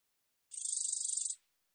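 A black-backed katydid gives a high, dry buzzing trill lasting just under a second.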